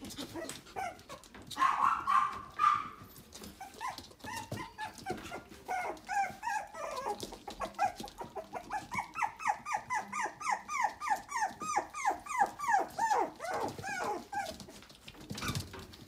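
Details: Red-coated Toy Poodle giving high, whining yips with stacked overtones, repeated rapidly at about three per second from six seconds onward, after a brief whine near two seconds; soft indoor shuffling and tapping underneath.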